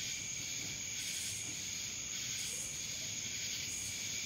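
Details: Cicada chorus recorded in Dallas, Georgia: continuous shrill whining tone over a hissy buzzing wash that swells and fades in regular waves, steady and unbroken throughout.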